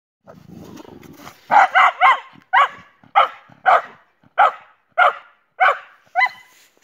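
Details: Jessie, a German Boxer dog, with her friend Spike: a low rumbling noise, then about ten loud, sharp barks from the second half-second on, some in quick pairs and triplets, the rest spaced roughly half a second apart.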